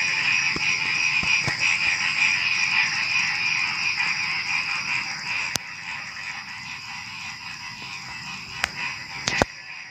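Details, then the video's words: Before dawn at night, frogs croak in a thick pulsing chorus that thins out after about five seconds, leaving a high steady insect hum and several sharp clicks. "Suara Kodok Menjelang Subuh"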